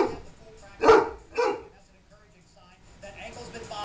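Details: An older, 185-pound male Great Dane, 9 years old, warns two playing young Danes with two deep, sharp barks about half a second apart. Faint voices and household noise follow.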